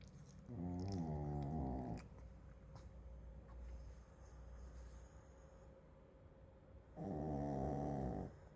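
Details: Sleeping Shih Tzu Genki snores twice, about six seconds apart, each breath a low, vibrating, rasping rumble of roughly one and a half seconds, with quiet room noise between.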